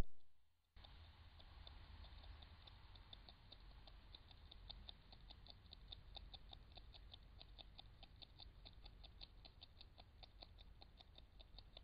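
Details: European beaver eating bark from willow branches and whole twigs in the Ooijpolder near Nijmegen, the Netherlands, recorded by a Bushnell Trophy Cam HD Max trail camera: steady rapid crisp clicks and gnawing crunches over a low, hissing background rumble.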